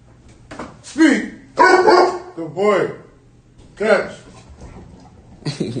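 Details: A dog at an urban dog show barks on command after being told to speak. About five sharp, arched barks come at irregular intervals over a few seconds, with a person talking nearby.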